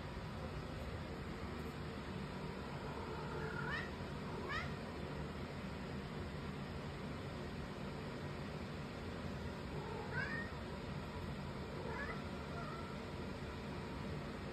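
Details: A cat crying, giving four faint, short, rising meows spaced irregularly, two close together near the start and two later, over a steady low rumble of background noise.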